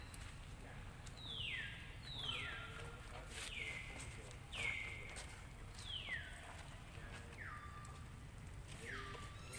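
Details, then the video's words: Lucie, a baby monkey, cries loudly and angrily because her mother rejected nursing; a steady run of about eight shrill descending wails, each dropping steeply then holding a lower drawn-out tail, roughly one per second, with soft rustling between. "Ve-ryP-ity Lucie Cr-y Lou-dly Se-isures An-gry Mom cos Mom R-ej-ected Milk I Lo-vely Monkey"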